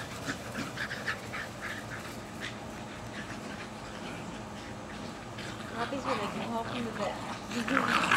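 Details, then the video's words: Two young Jack Russell Terriers, Jasper and Jaclyn, a little over a year old, tugging hard on a toy in a Lenexa, Kansas back yard, 14 July 2008; low growling builds and grows harsher toward the end, with human voices mixed in. "JRT's Jasper and Jaclyn really, really playing tug of war"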